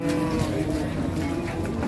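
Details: An enraged cow holds a short, steady low moo with an even, flat tone throughout. Background noise and faint music run underneath.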